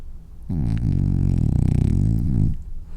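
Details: French bulldog snoring while asleep and dreaming: one long, deep, rattling snore of about two seconds, low and rumbling with a buzzing vibration, quiet room before and after.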